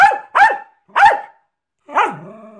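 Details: . Jack Russell terrier Milo, doing tricks on cue, lets out three quick sharp barks followed by a longer, drawn-out bark that trails off into a whine.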